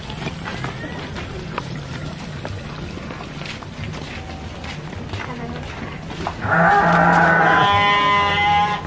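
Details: Garut sheep at a fighting-sheep farm in Cilawu, Garut, West Java, Indonesia: several seconds of clattering crowd noise, then a loud, deep, sustained bleat that carries on to the end.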